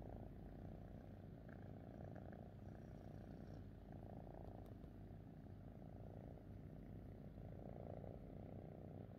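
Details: Contented pet cat with its owner, purring in a quiet, even low drone that swells and eases in slow cycles, with a few light taps.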